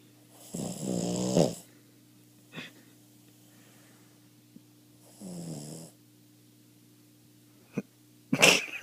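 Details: A 13-year-old Boston Terrier, half asleep, snores in rough, rattling bursts with quiet pauses between breaths.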